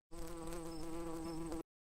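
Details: Bee, listed among farm animals, droning in a continuous low, even buzz for about one and a half seconds, steady in pitch and loudness with a faint higher whine above it.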